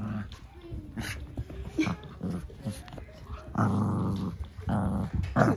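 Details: Cavalier King Charles Spaniel puppies, one of fourteen with the zoomies, romping indoors around a giant dog bed in a living room; low, rough growls rumble in short bursts, stronger near the end, with a woman's voice talking over them.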